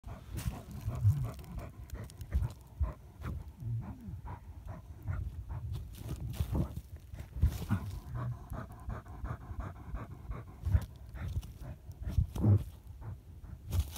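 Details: German Hunting Terrier (Deutscher Jagdterrier) during a badger hunt, rapid rhythmic panting in quick regular pulses over a heavy low rumble, with scattered knocks and handling noise throughout.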